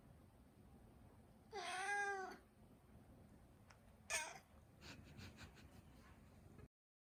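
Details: One full, rising-then-falling meow from the Turkish Angora pet Mū, followed by a brief second chirp-like meow and a few soft clicks.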